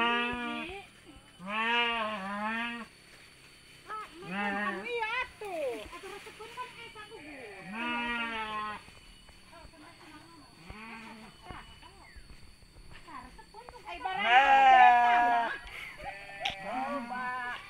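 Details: Sheep at mating time in the village of Kampung Sirna Rasa: loud, quavering, strongly harmonic bleats come in repeated bursts of about a second, the strongest near the end, with human voices talking between them.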